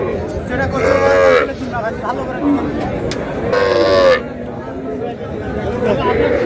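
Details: Sahiwal cows with calves at Raniganj livestock market in Dinajpur, Bangladesh, on a Thursday market day: two drawn-out harmonic moos about three seconds apart, under constant crowd chatter and talking.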